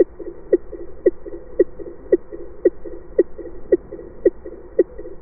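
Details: A rorqual's call from underwater acoustic recordings, with a very characteristic signature: a steady train of short, thumping pulses repeating roughly twice per second.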